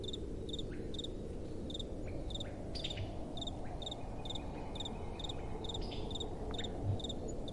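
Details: Crickets at night, accompanied by soft wind. A steady series of sharp, high chirps repeats about twice each second, with a faint thin trill in the middle, beneath a continuous low wind rumble.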